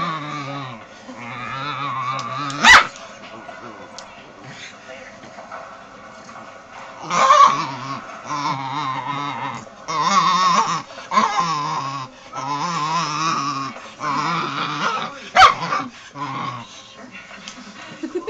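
A Cairn terrier growls and grumbles in low, drawn-out rumbles broken by louder, warbling bursts.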